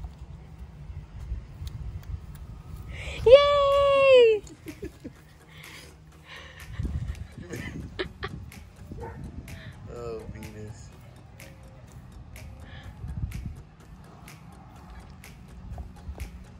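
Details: Happy Alaskan Malamutes during their annual Easter egg hunt, with cookies in place of eggs. One drawn-out, tonal, howl-like call lasts about a second, and a shorter wavering one follows near ten seconds. A woman speaks and cheers throughout.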